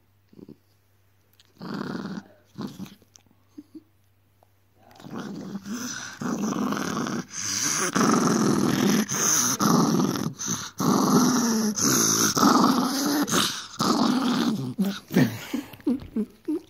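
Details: Naughty Miniature Dachshund indoors: a few short grumbles, then a long, sustained, loud rumbling growl lasting over ten seconds, broken by brief pauses for breath, in a small room.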